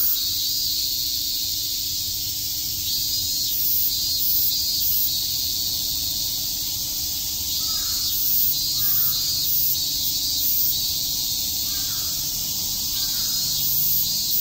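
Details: Cicadas chirping on a summer day at Shakujii Park in Tokyo: a dense, shrill, continuous high-pitched drone holds steady throughout, with faint pulsing accents overhead and a low steady hum beneath.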